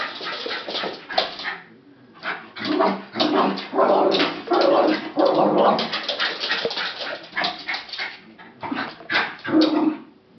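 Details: Jack Russell Terrier bitch watching the postman leave, barking hard and whining in loud clustered bursts, sharp yaps running into strained whimpers, with brief pauses between volleys.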